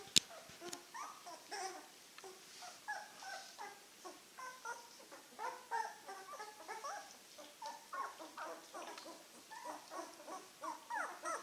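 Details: Litter of nine-day-old Czechoslovakian wolfdog puppies (Heaven & Baron, 2016), some with eyes newly open, moving about and interacting indoors: continuous overlapping squeaky whimpers and yips, rising and falling, repeated almost without pause, with a sharp knock at the start.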